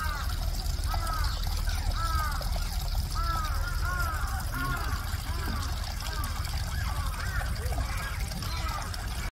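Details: A male Asian small-clawed otter at Chiba Zoological Park gives quick, squeaky arched chirps, two or three a second, while walking around, over a steady rush of trickling water.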